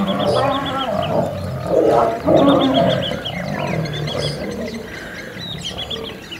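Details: Wild lions in a territorial battle, an old male against young males, Kruger National Park. Harsh, rasping growls and snarls peak in the middle and then fade, while several birds call and trill behind them.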